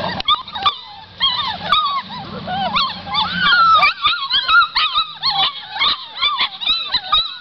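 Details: Pit Bull / Boxer mix puppies keening in high, bending whines and quick yips, with the cries piling over one another and a faint low murmur beneath the first half.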